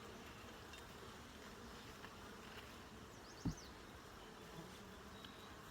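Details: Colony of honey bees droning evenly during a full hive inspection, captured on a phone; one loud knock from frame handling midway, plus brief high chirps from a bird nearby.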